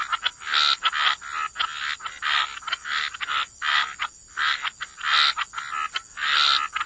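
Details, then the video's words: Frogs croaking by the waterside in a wetland setting, a dense chorus of rasping croaks in pulsed bursts about every half second, several callers overlapping, with a steady high hiss throughout. "Frog Lullaby: Relax to the Sound of Croaking Frogs"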